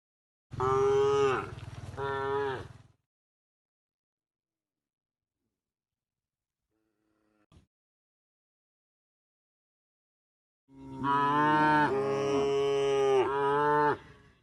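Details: Moos from a tame cow resting on a forest-edge path en route to its pen: a two-part moo at the start, a faint click midway, then a long, loud, wavering moo with several pitch swells after a pause.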